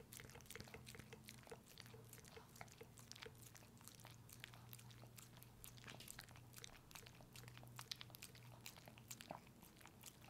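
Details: Pepe, a pet dog described as a puppy, eats a peanut butter treat: rapid wet clicks and smacking licks crowd the whole stretch, sharp and irregular, over a faint steady low hum.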